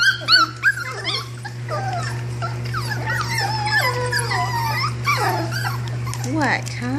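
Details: A litter of puppies, offspring of Belle and Lancelot, whimpers and yelps almost continuously: overlapping high, rising and falling whines, squeaky yips and a few growly notes, with a woman talking and a low steady hum behind.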